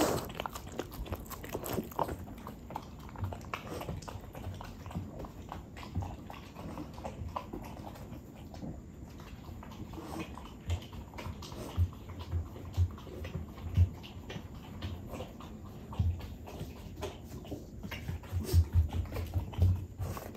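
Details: French Bulldog chewing yellowtail fish, one of a family of dogs named Ume and Roku: a steady stream of low, wet munching and crunching with irregular sharper bites, grown louder toward the end.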